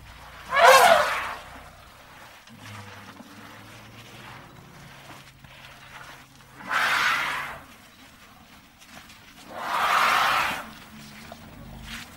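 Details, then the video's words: Elephant trumpeting in three harsh, broadband blasts spaced several seconds apart: a short sharp one first, then two longer, fuller calls, with a faint low hum and quiet background between them. "TIẾNG VOI RỐNG"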